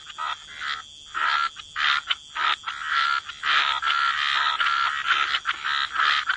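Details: Croaking frogs at a wetland waterside, calling in a gentle chorus: rough, pulsed croak bursts about a second long, separated by brief quiet gaps, with a faint steady whistle-like tone running beneath.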